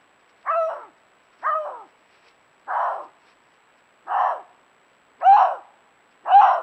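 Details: Canada lynx recorded in February 2022 during rare carnivore monitoring; six short harsh nasal calls with downward-bending harmonics, spaced roughly one second apart, against a silent background.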